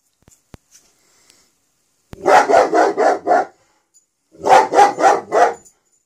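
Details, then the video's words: Smokey, a pet dog filmed in Pitman, barks in two quick bursts: five sharp broadband barks in rapid succession, a pause of about a second, then another run of five, with a few faint clicks beforehand. "Smokey barking in pitman"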